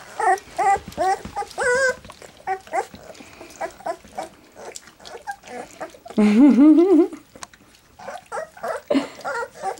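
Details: Black English Labrador Retriever puppies, three weeks old, trying goat's milk for the first time; high wavering whimpers and squeaks come in short bursts, one longer drawn-out whine in the middle, with soft lapping and handling noises.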